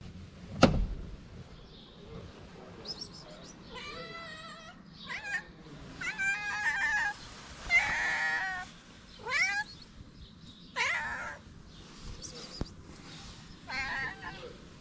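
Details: Stray cat in Morocco meowing loudly for food: a series of strained, wavering meows about every one to two seconds, some rising then falling, with a sharp knock near the start and faint street background.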